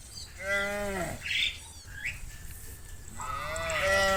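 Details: Cows in a herd heading from the fields home to the barn, one low harmonic moo falling off after about a second, then a rising second moo near the end, with brief higher squawky sounds between.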